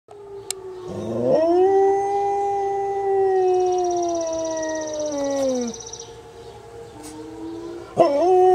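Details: Pet dog howling along with a tornado siren: a sustained tonal howl that rises, holds steady for several seconds, then slides down and fades, followed by a fresh rising howl at the end.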